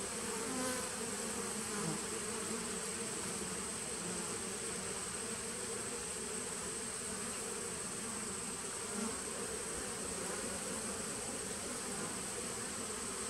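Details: Nucleus colony of honey bees from 2017, recorded on 19 September 2018, hums continuously. The low-pitched drone stays level for the whole stretch, with brief small blips breaking in now and then.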